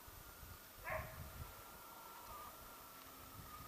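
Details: A Siberian husky on a sled-dog outing in Kuusamo, Finnish Lapland, January 2012, gives one short, sharp bark, then a thin, steady whine over low rumbling noise.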